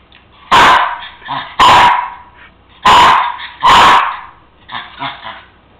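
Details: A Cairn Terrier gives sharp, loud barks in pairs, with softer whines between them, demanding his bone, which he knows is on the counter.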